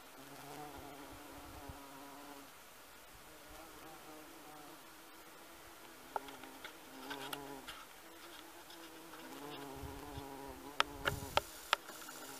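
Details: Bumblebee foraging on honeysuckle in a garden: a steady, low, rich humming buzz in several bursts of two to three seconds, with brief pauses and a few sharp taps near the end.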